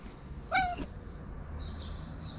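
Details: Tabby cat, a stray fed on the street, wanting attention after eating, gives one short harmonic meow, slightly falling; steady low background rumble and a faint high hiss afterwards.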